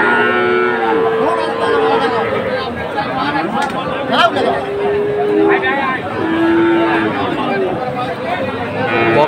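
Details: Friesian and cross-breed heifer calves at a Dhaka cattle market, 12 August 2024, where farmers are buying. Several drawn-out, steady, low tonal moos, each about a second long, rise above constant crowd chatter and busy market noise.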